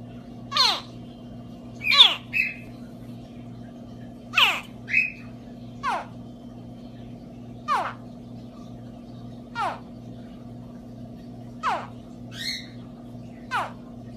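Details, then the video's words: Baby alligator calling: sharp, high chirps that sweep steeply downward, repeated about every one to two seconds, some doubled. A steady low electrical hum continues throughout. "What a baby alligator sounds like"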